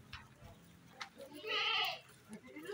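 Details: Breeding-ready female goat, around nine months old, in a pen: a single loud, nasal, tremulous bleat lasting under half a second, with faint voices and low background noise around it.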